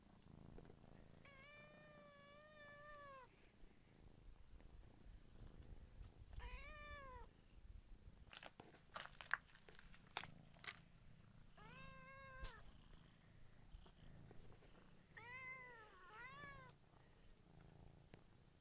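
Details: Kittens in a village meowing repeatedly: a long steady meow, then several shorter arched meows spaced a few seconds apart, some in quick pairs, over rustling, clicks and low rumble; camera quality is poor.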